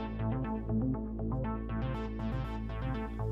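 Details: Only electronic music with steady synthesizer tones and a regular beat; no animal voice can be picked out. Layered notes shift in pitch over a driving pulse from start to finish.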